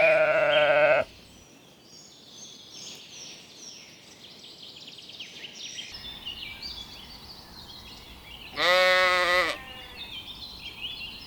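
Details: Lambs grazing in a cool green forest: a loud, wavering bleat opens, then a long quiet stretch of high twittering birdsong, then a second strong quavering bleat near the end, more birds chirping after it.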